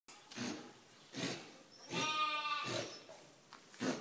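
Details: Sheep with hay fever at a farm in Snettisham, Norfolk, sneezing; short, breathy, noisy bursts roughly every second, with a brief nasal bleat in the middle.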